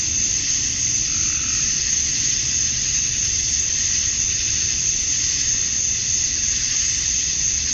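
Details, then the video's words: Male cicadas chirping to attract females at dusk on a summer night in Georgia, USA: a dense, steady, hissing buzz high in pitch that never lets up, with a faint low rumble beneath. "Cicadas at Dusk, Summer Night"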